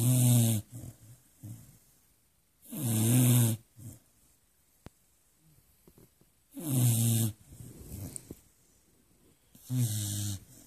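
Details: A sleeping pet Beagle snoring loudly through the night, deep rasping inhalations with a low throaty rattle, each lasting about a second and recurring roughly every three to four seconds, with quiet breathing between them.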